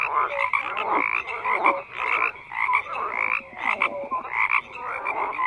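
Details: Chorus of croaking frogs: many overlapping rasping calls in uneven bursts, roughly one swell per second, with short whistle-like tones mixed in.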